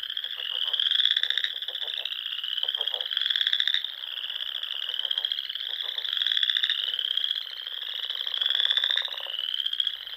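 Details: Frogs in the Sandhills of Nebraska during spring: a thick chorus of rising, pulsing trills, one after another with little pause, with scattered lower rattling pulses and an evenly swelling volume.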